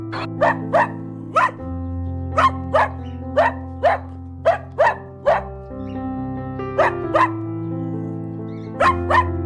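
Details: Domestic dog barking in short, sharp single and paired barks, about fifteen over nine seconds in irregular bursts with brief pauses, over steady background music with sustained low tones.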